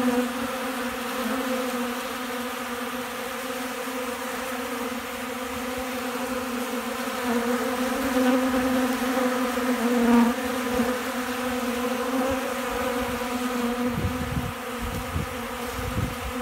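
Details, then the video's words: A crowd of hungry honey bees feeds from a hand on cracked corn in Central Alabama on a windy day before storms. Their steady humming drone swells slightly midway, and low wind rumbles come near the end. "Hungry Bees"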